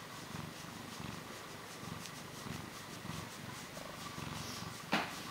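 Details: Close-up purring from a short-tailed Portuguese cat: a continuous low rhythmic rumble in even pulses, ending with a sharp tap.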